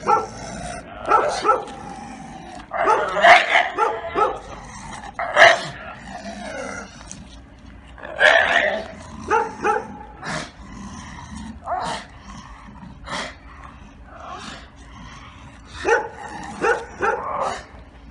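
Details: Bull Terrier named Giotto, a sterilized dog that began attacking at five years old, barking during a training session: loud, sharp barks in irregular bursts spread across the stretch, some in quick pairs, with quieter gaps between.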